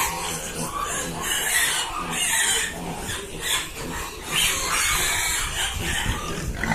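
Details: Piglets squeal and grunt in a dense, noisy chorus of overlapping harsh calls.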